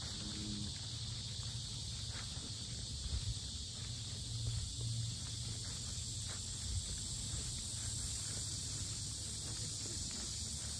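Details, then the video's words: Cicadas chorusing at the Sinjeongho lotus park in Asan, South Korea, described as very loud: a steady, unbroken high hiss that fills the whole stretch, over low rumble and footsteps from someone walking around the park. "매미소리 주의"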